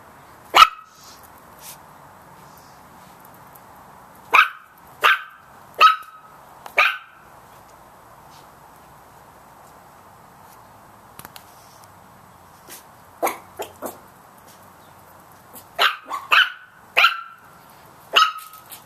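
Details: Little Chihuahua puppies barking at a big cat: sharp, high yapping barks in short bursts, some single and some in quick runs of three or four, with quiet gaps between volleys and a faint steady background hum.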